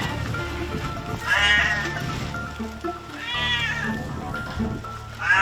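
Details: Badly burned domestic cat that survived a large wildfire in South Korea, with singed fur, a melted leg and a burned face. It gives three drawn-out meows, each about half a second, over steady background music.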